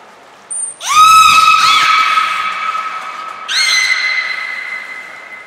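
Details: At Nagoya Port Aquarium in Japan, captive belugas Hodoi, Taanya and Mirai during pool moving and training, March 2021. A sharply rising whistle that holds steady for over two seconds, then a second level whistle, after a short high tone.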